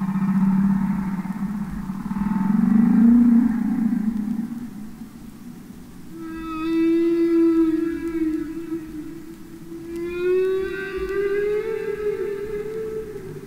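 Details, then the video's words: Real humpback whales singing underwater: a low swelling moan rising and falling, then two long tonal calls with stacked harmonics, the last slowly gliding upward, with a faint hum beneath. "Songs Of The Humpback Whale"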